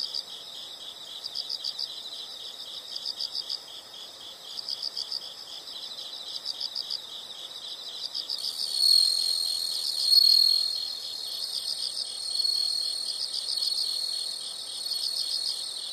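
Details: Insects in a nature soundscape: quick clusters of high chirps roughly every second and a half above a continuous shrill drone, joined midway by a louder, steady high buzzing trill that swells and fades.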